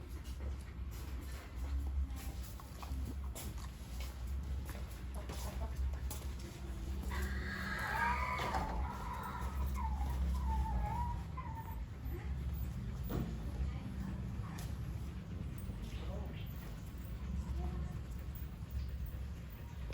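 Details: Puppy with its mother gives a short run of high, wavering whines and squeaks in the middle stretch, rising and falling in pitch, over a steady low rumble that runs throughout.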